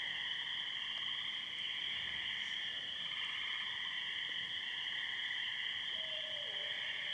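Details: Spring peepers and tree frogs calling in a pasture at night after heavy thunderstorms, May 22, 2013, Muskoka. A dense, continuous chorus of high, shrill trilling peeps in steady bands, with a brief lower tone near the end.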